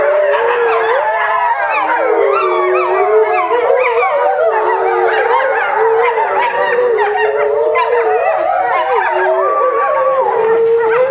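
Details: A family of eight eastern timber wolves, parents and offspring, howls together at a zoo in July 2011, many voices sliding up and down over one another, with one young wolf giving barking yelps at the end.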